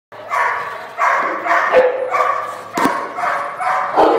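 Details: Cane Corso named Santo practicing bark and hold training, giving deep, forceful barks in a steady series, roughly five to six barks spaced under a second apart, with a sharp clap or knock near the middle.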